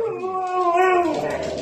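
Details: Pet Siberian Husky talking to its owner indoors: a sustained, tonal, howl-like vocalization lasting over a second, with smooth slightly wavering pitch and rich harmonics. A woman's voice is heard around it.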